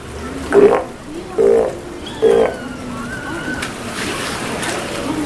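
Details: Steller sea lions at feeding time at Kamogawa Sea World, 2 January 2017: three short, loud, harmonic bellowing calls about a second apart, followed by a thin sliding whistle-like tone over a low background hum.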